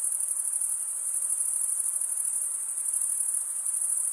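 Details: A shrill, constant cricket chorus, produced by males rubbing toothed wing edges together, gives a fast-pulsing high ringing with a gentle wavering in volume.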